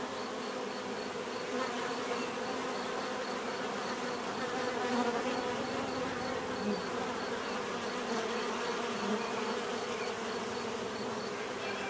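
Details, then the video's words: Dense swarm buzz from many bees, a continuous humming drone with occasional brighter individual wingbeat tones rising and fading over it, plus a faint high pulsing tick. "bees therapy relaxing natural buzzing sound"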